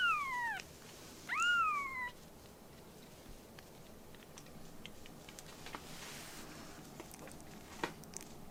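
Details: Rescued baby kittens in foster care with a volunteer group, learning to live indoors: two clear, high meows, each rising briefly and then falling, close together in the first two seconds, followed by soft indoor clicks and rustling.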